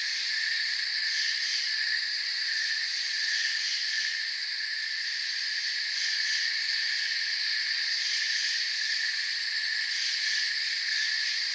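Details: Crickets in a forest keep up a thick, high-pitched wall of chirping, level throughout, with scattered sharper pulsed bursts rising above the steady drone.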